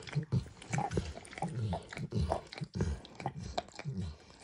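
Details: A dog named Max works his tongue over a bumpy orange lick mat holding egg and diluted peanut oil. The sound is close and indoors: rapid sloppy laps, roughly a hundred a minute, moist and uneven, with no talking.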